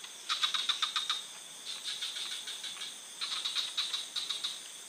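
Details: Forest frog giving two short trains of sharp, rattling pulses separated by a quieter pause, with a constant thin high-pitched hum running underneath.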